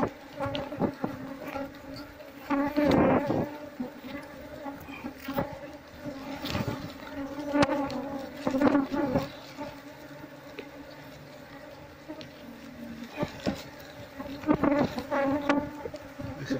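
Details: Asian honey bee (Apis cerana) colony in a traditional Seluma house during comb removal for hive transfer; persistent droning buzz rising and falling, punctuated by frequent clattering knocks and brief handling noises.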